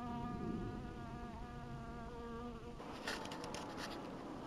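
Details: Honey bee at an apiary in 2012, heard as a steady, droning buzz rich in overtones for nearly three seconds, then abruptly giving way to a scratchy, crackling rustle close to the microphone.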